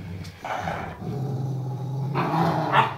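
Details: Two 11-year-old Rottweilers, a male and a female, play together; one growls low and rumbling, broken by short gruff bark-like bursts: a play growl between dogs.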